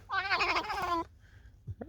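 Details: Alice, a tame fox, out in falling snow on the way to a field, gives one drawn-out, whining, harmonic call about a second long that wavers in pitch, then goes quiet with a faint short sound at the end.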